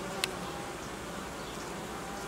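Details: Honey bee family being reorganised after producing royal jelly; a constant, dense buzzing hum, broken once by a sharp click early on.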